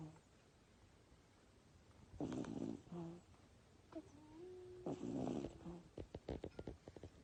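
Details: Sleeping Miniature Dachshund puppy, almost eight weeks old, snoring: two rough, nasal breaths with a faint whistled tone, about three seconds apart, then a run of short soft snuffles, in a quiet room.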